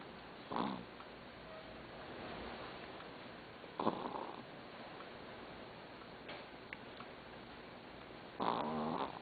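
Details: Doudou, a pet dog, snoring while asleep: three raspy, breathy snore bursts spaced about three to four seconds apart, with quiet steady hiss between them.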